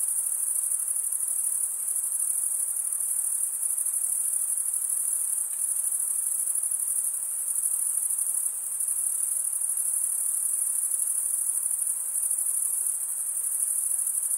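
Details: Stridulating crickets, mostly males, keep up an unbroken sharp high trill with small dips in loudness every few seconds. A soft, low hiss lies behind it.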